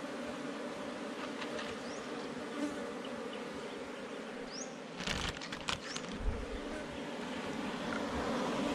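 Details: Bees from a wild hive under forest rocks buzz during a honey hunt. A constant, level hum carries through, with a burst of knocking and scraping handling noises after the midpoint.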